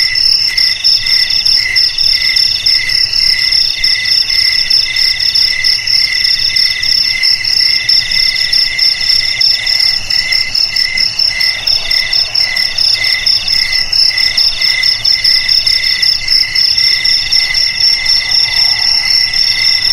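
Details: Cricket song, offered as a sound for keeping rats away: a continuous, high-pitched, rapidly pulsed trill layered in several steady tonal bands. It holds unbroken and even in loudness through the full twenty seconds, with no other sounds.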